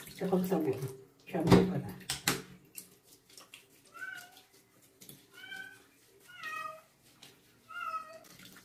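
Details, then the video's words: Stray kitten, a female taken from construction workers, getting her first bath at night indoors; after loud speech and splashing, a run of five rising-falling meows roughly once a second, with water sounds in the background. "OUCH, KITTEN'S FIRST BATH AT NIGHT"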